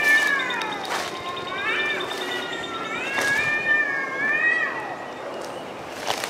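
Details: Cats arguing outdoors in the woods; overlapping moaning yowls that swoop up and down in pitch, several long wavering wails in sequence, with occasional bumps and clicks.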